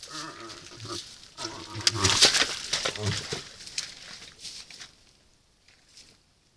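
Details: A moose in rut at a salt lick, caught on a camera trap, gives a drawn-out, nasal, moaning call, then rougher grunting bursts. Loud rustling and hiss fill the background before fading to near silence.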